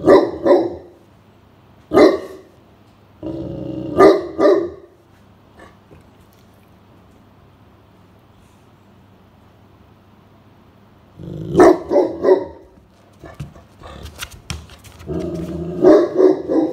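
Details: Blanche, a Great Pyrenees, keeps watch over the house while resting indoors on a midsummer afternoon as a stranger nears the grounds; deep barks in clusters, a long quiet stretch, then renewed rapid barking and knocking sounds.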